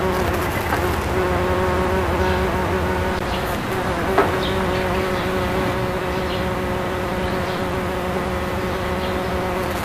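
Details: Bombus ignitus bumblebee taking nectar from azalea flowers in May 2012, giving a constant low buzzing drone with layered harmonic tones that holds steady for the whole stretch.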